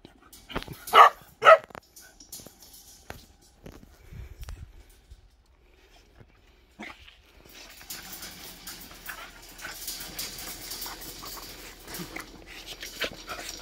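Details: A neighbour's puppy gives two short, sharp barks in quick succession near the start, followed by quiet stretches and then steady rustling, hissing background noise to the end.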